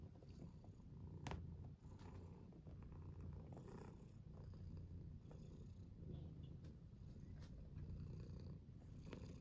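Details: Domestic tuxedo cat purring during a belly rub; steady low rumbling purr throughout, with brief clicks and rustles from handling.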